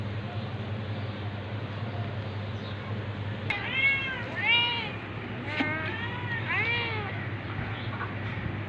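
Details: Tabby cat attacking a ginger cat, domestic cats: after a quiet stretch of low hum, a cluster of five or six loud rising-then-falling meows follows in quick succession, some strained and wavering.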